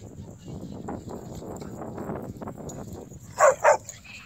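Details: Connor, a 174-pound Irish Wolfhound not yet two years old, romps with other big dogs at Ocean Beach, San Diego. Two quick, loud barks come close together near the end over steady wind and surf rumble.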